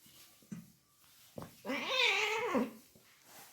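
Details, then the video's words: Fighting cat giving a single drawn-out, wavering growl-yowl that swells and then fades. A couple of sharp knocks come just before it. "Cat fighting with sound"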